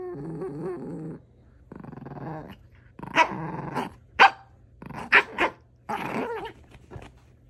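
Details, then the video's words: Pet dog making strange noises: low harmonic growls and groaning whines alternate with short sharp barks and yips, in irregular bursts. "강아지가 이상한 소리를 냄"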